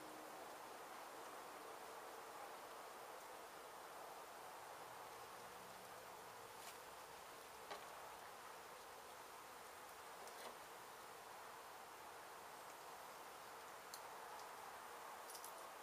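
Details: Disturbed honey bee colony in a demolished abandoned house in Mission, Texas, being rescued and relocated after construction work hit the hive: continuous broad humming buzz, even in loudness, with a few faint knocks.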